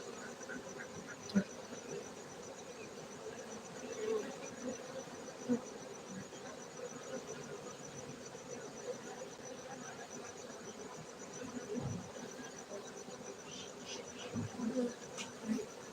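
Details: Many honey bees humming at a beekeeping site in Gayo highlands, Bener Meriah, Aceh, Indonesia; an unbroken droning buzz carries the whole clip, dotted with scattered soft clicks and taps and a faint steady high whine.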